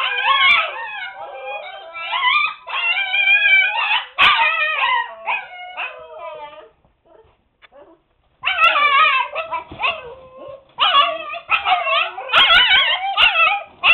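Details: Seven-week-old Siberian Husky puppies shut in their pen while cleaning goes on, calling noisily: layered wavering howls and yelping whines in long bouts, a silent pause midway, then the chorus resumes.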